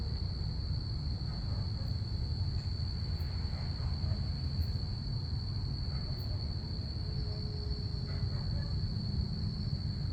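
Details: Crickets chirping at night on a calm Saturday, a steady unbroken high-pitched trill running throughout, over a heavy low rumble of planes passing overhead.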